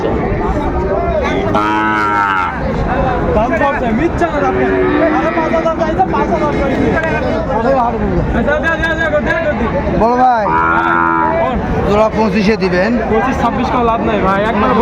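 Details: Sahiwal bull calves at a cattle market in Dhaka, Bangladesh, on 15 December. Two drawn-out, arching moos rise and fall, one near two seconds and another near ten seconds, over constant crowd chatter and nearby talking.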